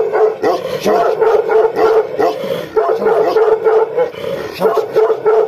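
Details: Gaddi dog, a Himalayan sheepdog breed, in an aggressive mood: loud, rapid, harsh barks tumbling over one another about three times a second, with growling undertones and possibly more than one dog.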